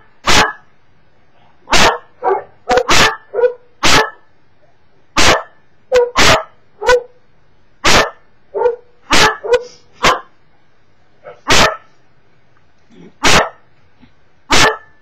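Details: Domestic Cocker Spaniel barks at online videos, loud clipped barks in uneven clusters of two to four, pausing a second or so between groups, some softer whiny yips among them.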